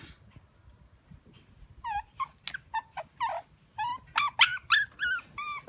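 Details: Shiba Inu, a male, whimpering in a rapid series of high, whiny cries, each with a sharp rise and fall, growing louder and denser toward the end after a quiet opening.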